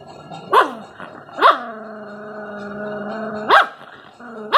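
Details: Aggressive Rottweiler puppy giving steady droning growls held for over a second, punctuated by four abrupt high barks that sweep down into the growl, recorded close up.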